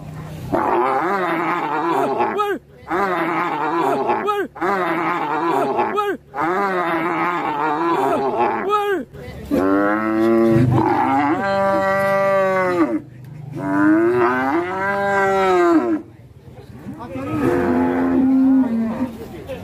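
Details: Fat cow that broke loose and went on a rampage, its owner angry. It gives long, steady, harmonic moos lasting two to three seconds each, after a run of shorter wavering calls, with people laughing and music nearby.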